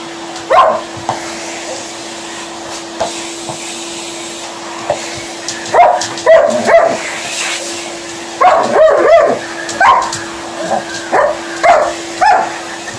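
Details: Hoover running while Liza, an Alaskan Malamute, answers it: near silence with an isolated yelp early on, then from about six seconds repeated bursts of whining, howl-like barks and yips against the constant machine hum.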